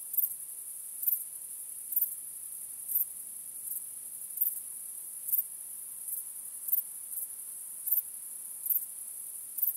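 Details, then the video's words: Crickets calling at night under the stars make a bright, sustained, high shimmering trill. Louder chirps repeat at an uneven pace, about one or two each second. "Cykanie Świerszczy 🦗 Gwieździstą Nocą 🌙 {Night Crickets Sound}"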